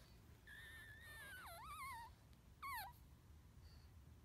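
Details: Newborn pug puppy named Chestnut, hungry on his first day home, eating for the first time: a few thin whistled squeaks that slide up and down, the last one short and loud, over low background hum.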